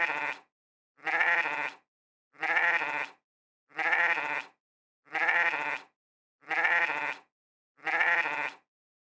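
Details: Repeated sheep bleats, a harsh quavering 'meh' of about a second each, seven in a steady series spaced roughly 1.4 seconds apart, with dead silence in between.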